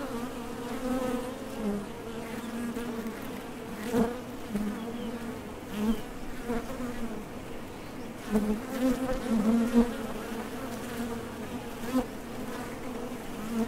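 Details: Honey bees buzzing at the entrance of a Top Bar Hive as foragers leave and land, a steady low hum with fluctuating swells and a few louder passes near eight to ten seconds.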